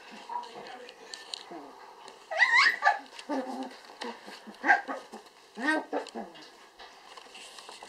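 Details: Apricot dwarf poodle puppies, eight weeks old, one female and three males born in Finland, playing with their mother indoors; high, wavering whimpers and squeals around the third second and again near five and six seconds, with soft voices underneath.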